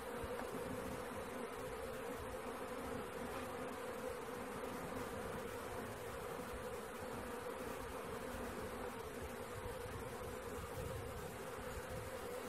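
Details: Many honey bees of a swarm being collected hum together in an unbroken, even drone that holds at one pitch from start to finish, with little other noise.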